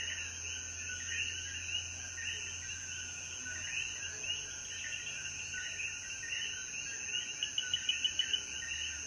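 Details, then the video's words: Puerto Rican coquíes in the Jayuya mountains after the rain at sunset: a steady chorus of quick overlapping chirps, a brief run of louder repeated notes near the end, and a constant high whine behind. "Sonidos de Coquí"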